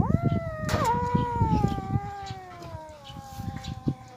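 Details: Abandoned kitten crying from starvation, giving one long, drawn-out meow that starts with a jump in pitch and slowly falls and fades, over steady low rumbling background noise.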